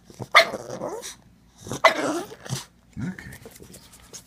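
A pug gives two loud, rough, bark-like yelps, then a lower grumble, demanding more scratching.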